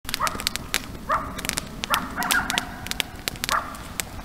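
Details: Coyotes heard at night around a camp, giving short, distant yelping barks roughly every half to one second, each with a slightly wavering tone, over a steady background hiss and frequent sharp clicks and snaps.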